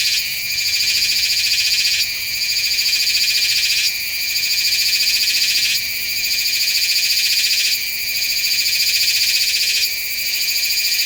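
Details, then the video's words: Meimuna iwasakii, a Taiwanese cicada, heard in September at Nanzhuang on a Sony A7s3 with Rode VideoMic NTG: piercing high buzz in phrases about two seconds long, each separated by a brief dip, repeated steadily. "岩崎寒蟬 蟬鳴聲"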